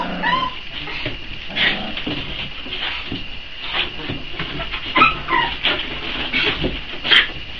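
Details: Hungry Boxer pups, four weeks old, await feeding time; short whines and squeaky yips come in scattered bursts, several pups calling over one another against a constant hiss.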